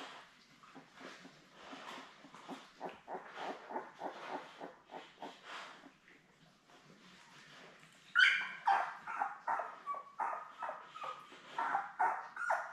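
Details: Newborn Labrador Retriever puppies, a litter of seven born May 24, 2021, with their mother Belle on an indoor puppy cam; soft rustling and muffled pulses give way to high, thin squeaks and whimpers repeating over the last few seconds.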